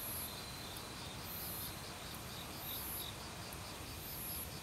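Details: Crickets in an autumn forest, calling loudly alongside other insects: evenly spaced high pulsed chirps, a second very high pulsing trill, all set against constant flowing stream water; casual non-professional recording.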